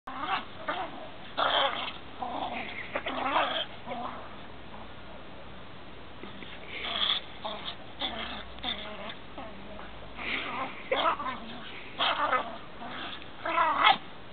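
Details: A Siberian husky fights a mixed-breed dog, with rough growls and snarls breaking out in irregular bursts.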